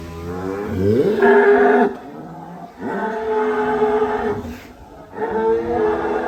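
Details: Cattle in a large barn holding a thousand head at Sumber Ternak Farm: three deep, harmonic moos, each lasting under a second, with short quiet gaps between them and a man's voice nearby.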